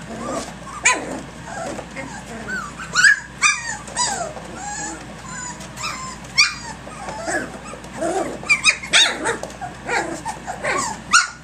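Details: Three-week-old puppies from Egypt's litter, active and playing early in the morning, 10.12.2011; bursts of shrill rising squeals and whiny yelps come in clusters, with quieter stretches of faint whimpering between them.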